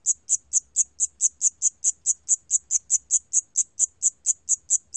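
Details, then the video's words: High, ringing chirps from a 샴귀뚜라미 cricket, National Institute of Biological Resources, 2020, come in a slightly uneven train of about four pulses each second, some twenty in total, over near silence. "샴귀뚜라미, 여러번 듣기, 곤충소리"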